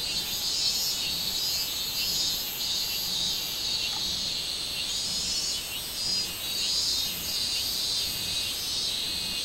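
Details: Robust cicada song recorded 24 July 2016: a steady, dense high buzz that swells and fades in waves about every second, with a thin pulsed shrill above it. A faint brief tone sounds near four seconds.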